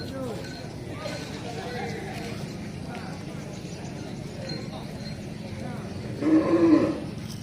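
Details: Female breeding cow lowing once near the end, a deep, harmonic moo lasting under a second, after a stretch of people talking over a steady low background hum.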